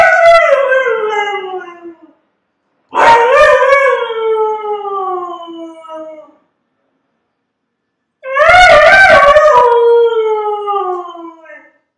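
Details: Three drawn-out dog howls, separated by short silences. Each one starts higher and glides down in pitch, and the last wavers near its start. Brief clicking noises mark the onsets.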